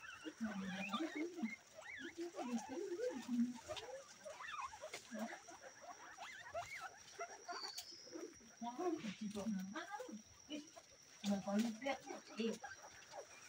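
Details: Local guinea pigs calling: low buzzy purring bursts overlap with short rising squeaks and chatter, several animals sounding at once in irregular clusters, with steady background hiss and occasional clicks.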